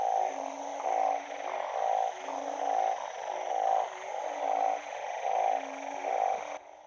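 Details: Several male banded bullfrogs, puffed up and calling from water after rain, give deep, nasal, lowing croaks a little faster than once a second, overlapping in a steady chorus; about three callers are heard nearby.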